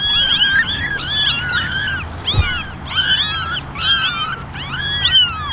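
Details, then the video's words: Ten ginger kittens and one white kitten meow for attention from a basket, producing dense, rhythmic waves of overlapping bent meows roughly every second, with a soft thump midway. "Basket of 11 Meowing Kittens"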